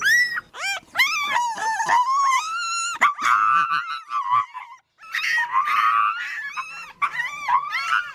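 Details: Dog and puppy cries on a farm: quick, overlapping high whimpers and squeals. They tumble over one another in bursts, briefly pause near the middle, then resume as a busy chorus of thin, wavering whines.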